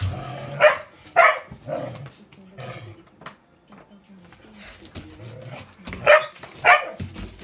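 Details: Rough Collie Tā-chan barges into a play fight between collie sisters Miko and Nanacha and gets ignored, 8 May 2020. Short sharp barks in pairs with low growly grumbles between them, indoors.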